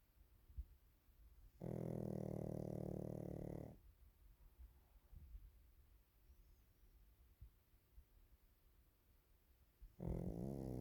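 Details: Napping Pekingese Waffle snores loudly: a two-second low, vibrating rasp early on, then quiet breathing for several seconds, then another snore starting just before the end.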